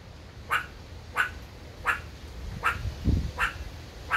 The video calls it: A Meerkat Barking